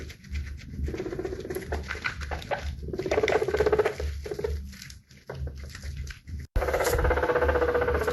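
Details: Guinea pig making a rapid, pulsing chutter of about four pulses per second, with low throbbing underneath and a steady buzzy tone rising at the end.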